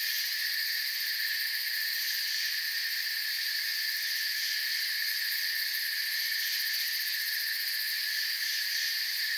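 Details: A forest night-style chorus of crickets: layered, piercing high trills running smoothly and unchanging from start to end, no other animals or noises standing out.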